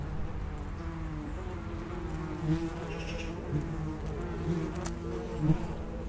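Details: Common wasps (Vespula vulgaris) at the entrance of an underground nest: a steady low droning hum with several overlapping buzzing tones, short louder swells as individual wasps pass close, about every second near the end, over low rumbling background.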